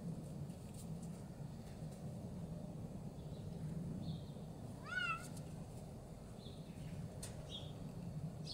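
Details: Female Bengal cat, almost one year old, playing wildly in snow at minus four degrees while searching for her ball; one short rising-then-falling meow midway, surrounded by steady low rumbling background noise and faint rustles.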